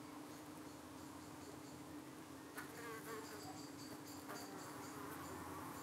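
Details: Steady low droning of honey bees at a hive in the UK on an evening when flies were attacking them and the bees were fending them off; brief warbling buzzes of insects flying past break in twice.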